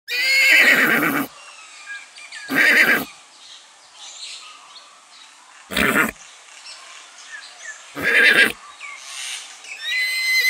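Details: Goat that imitates a horse, neighing like one: four loud, harsh, quavering cries, each about a second long, come roughly every two to three seconds, with faint birdsong in the gaps.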